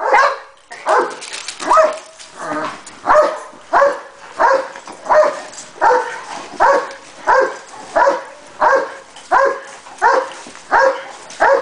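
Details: Barking Cane Corso during training, giving a steady run of loud, even barks a little under one per second, rhythmic and unbroken across the whole stretch.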